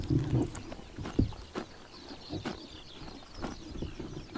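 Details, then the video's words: Horses eating grass on a summer morning in Tuv province, Mongolia: close, loud chomping bursts early on, then quieter crunching bites roughly every second, in a rural outdoor setting. "Horses eating grass in summer morning / chomping noises"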